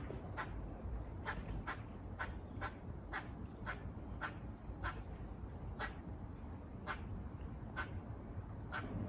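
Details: Squirrels near a farm give buzz-like barking calls: short, harsh broadband bursts repeated steadily about twice a second over a constant low rumble of wind or distant traffic.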